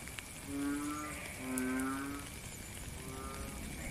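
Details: Frog heard during rain in nature: three low, droning, slightly rising tones of about half a second to a second each, spaced evenly, set against continuous soft rain noise.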